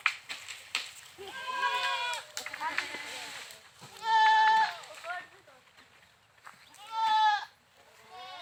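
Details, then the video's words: Goats bleating repeatedly, several wavering calls of about a second each with bright harmonics, two loud steady ones well spaced, amid softer overlapping bleats and background chatter. "Funny Goat Sounds Videos"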